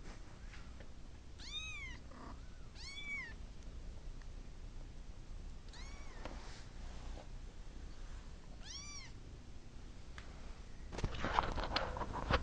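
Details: Pet cat calling out, wanting to go to its mama; four bright, bending meows in the first nine seconds, two close together then two more widely spaced, followed by rustling and handling noise near the end.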